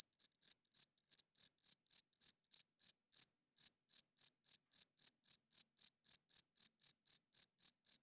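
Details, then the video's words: At night, crickets give their wing-produced chirping, males calling for females and territory; high, sharp chirps repeat about four times a second, briefly doubling near the start and pausing once before resuming steadily. "40 Minutes of Cricket Chirping Sounds - Cricket klinkt 's nachts luid"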